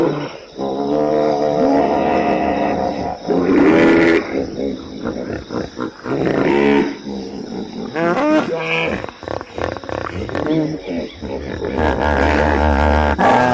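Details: Howling hippopotamus giving loud, rough, harmonic bellows broken by short pauses, some notes bending upward, with a sustained buzzy growl at the close.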